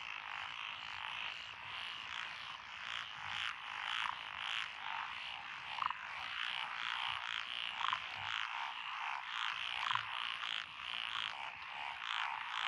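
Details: Mixed chorus of tree frogs, pond frogs and wrinkled frogs in lotus paddies near Echizen, Fukui, June 12, 2021. Massed rapid croaks form a pulsing wall of sound, with a few sharper individual calls poking through.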